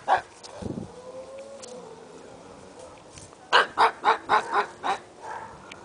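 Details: A pet pug lets out a brisk series of about six short, yappy barks in the second half, after a faint low grunt and quiet room noise early on.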